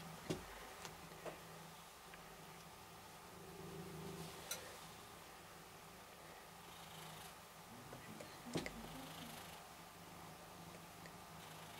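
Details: Rysiek, a cat in isolation at the Milanówek animal shelter in Poland, purrs softly while being stroked; a low steady rumble runs through the clip under room noise, with a few sharp clicks and rustles.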